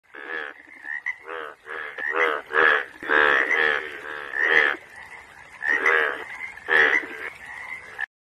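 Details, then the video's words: Yellow Asian bullfrog (Hoplobatrachus tigerinus) giving loud, rasping, pulsed croaks in bursts of under a second, about eight over eight seconds, joined by a steadier nasal droning tone between bursts. "yellow Asian bullfrog"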